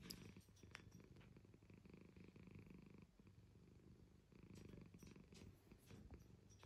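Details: Domestic cat purring steadily, a low, dense rumbling vibration in two long bursts with a brief quieter break near the middle, heard close up in a quiet indoor setting with a few faint clicks.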